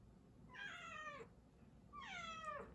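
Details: Pet cat indoors wanting its owner to come along to the litter box: two drawn-out meows, each falling in pitch, about a second apart, over a faint low hum.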